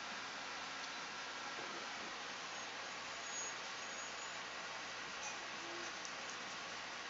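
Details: Continuous bright hiss with a low background hum, without any barks, whines or other animal calls.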